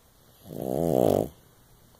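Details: One loud, rattling snore under a second long from a female pug–Shih Tzu mix sleeping indoors beside her owner.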